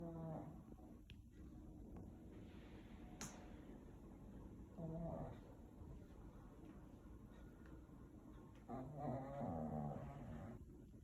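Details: A sleeping Pekingese dog snores loudly, sometimes loud enough to hear from another room, in low, rumbling, harmonic bursts spaced several seconds apart.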